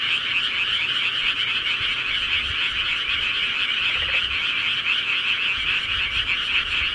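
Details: Night-time rural frog chorus: many overlapping croaks merge into a constant buzzing, pulsed drone at even loudness throughout the short stretch.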